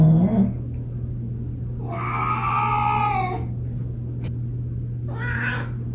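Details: A Siberian cat with zoomies after a shower gives a drawn-out, harsh yowling growl, then a second shorter one, over a steady hum.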